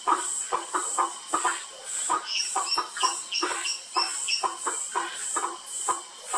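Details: Several Bischoff's tree frogs calling at Sitio Cantos da Mata in Mogi das Cruzes, São Paulo state, Brazil, on 8 February 2019, with short knocking pulses in quick irregular series over a continuous shrill insect buzz.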